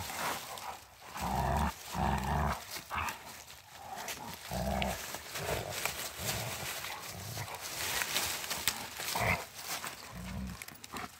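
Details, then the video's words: Two Rottweilers in friendly play on a woodland walk, giving low rumbling growls in short bursts of about a second, spaced irregularly, with rustling and scuffling between them. "Two Rottweiler dogs playing."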